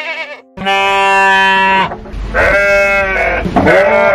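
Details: Sheep bleating in long, quavering, harmonic-rich calls, a sustained bleat followed by two shorter wavering ones, set against calm background music.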